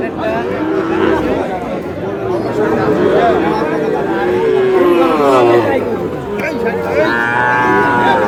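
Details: Sahiwal cattle, including bull calves, at a cattle market on 24 April, where a Noakhali farmer is buying stock; long bending lowing calls rise and sag, one after another, over a steady murmur of market voices.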